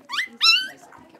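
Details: Two quick high yelps, the second louder and longer, from three-week-old blenheim Cavalier King Charles Spaniel puppies at play in their pen, followed by faint rustling.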